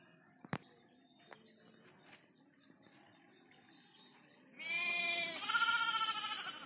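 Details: Freshly bathed goat, described as frightened, gives two loud, wavering bleats with rich harmonics near the end, after scattered knocks and quiet rustling.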